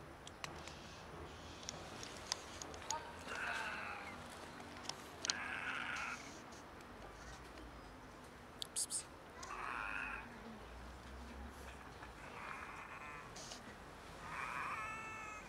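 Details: Two stray cats in poor health, one clearly sick, give odd meows: about five short harmonic cries spread through the stretch, separated by quiet gaps and faint clicks, over a steady background hiss.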